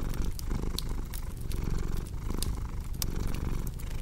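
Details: Domestic cat purring beside a crackling fireplace: a steady low rumble pulsing in rhythmic waves about every half second, with sharp crackles and pops from the fire scattered above it.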